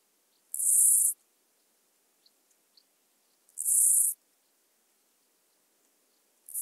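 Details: Chorthippus dichrous grasshopper singing at Illmitz, Austria, on 21 July 2021: high, hissing buzzy bursts of about half a second, repeated roughly every three seconds, with faint ticks between and otherwise quiet surroundings.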